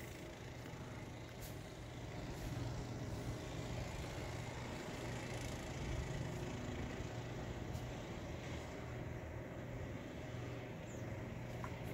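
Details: Steady low engine rumble of passing traffic outdoors, with faint broadband hiss and a few brief clicks; no animal voice heard.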